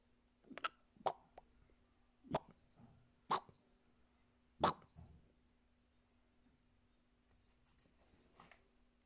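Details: Fox Terrier giving a handful of short, sharp, clipped barks at irregular intervals of one to two seconds, with a steady low hum in the background.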